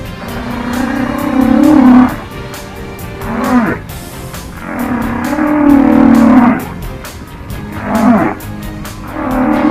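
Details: Humpback whales communicating with one another, a recording played during whale watching on a trip to Washington State and Alaska: low harmonic moans that swell and fade, each lasting about two seconds with short upsweeps between, over steady broadband crackle.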